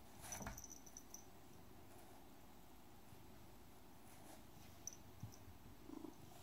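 A Siamese cat gives a continuous low, rumbling purr that holds steady throughout. Brief faint clicks and rustling handling noises break in now and then.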